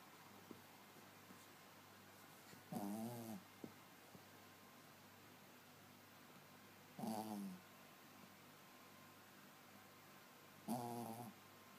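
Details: A Yorkshire Terrier snoring: three short, raspy breaths with a nasal, whistling edge, each about half a second long and spaced roughly four seconds apart, over a quiet indoor hiss.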